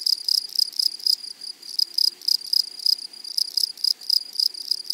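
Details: Grasshoppers in a flowery prairie meadow rasp loudly in close range, bright hissing chirps repeated about four times a second in uneven groups, with brief gaps between clusters.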